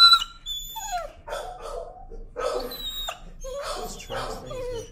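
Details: Timid dog resisting the leash gives loud, strained screams: drawn-out, wavering wails and rasping howl-like cries follow one another almost without pause, sliding downward in pitch, with background music faintly present.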